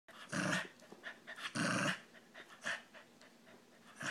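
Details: A pet Brussels pug making a funny noise indoors: two loud, rough, broadband grumbling bursts, each about a third of a second long, followed by softer snorting huffs.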